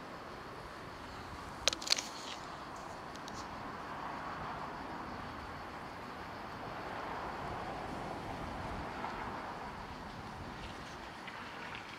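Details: Outdoor rumble of distant traffic with a couple of brief sharp clicks early on; no animal voice.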